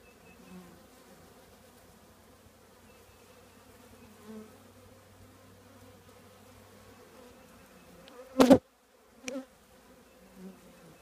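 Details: Honey bees from a colony nesting in an old trash can, heard as a soft continuous low hum with faint overtones, broken near the end by two sharp loud knocks or bumps.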